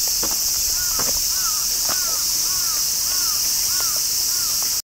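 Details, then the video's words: Behind Himeji Castle in Japan, massed cicadas keep up an intense, unbroken high hiss while another bird gives short arched calls repeated about every half second underneath. "Himeji cicadas"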